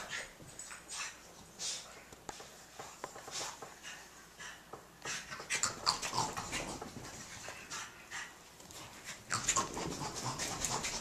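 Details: Two dogs, Jack Russell Terrier Molly and French Bulldog Elmer, wrestling in play on 30 April 2012; steady rough scuffling with quick breathy grunts and soft whimpers, growing busier and louder in the second half.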